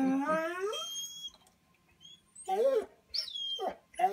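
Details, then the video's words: Bernese Mountain Dog indoors at a cabin, wanting to join a walk; a long falling whine-moan, a pause, then short grumbling, talking-like yips and moans. "BMD - Talking"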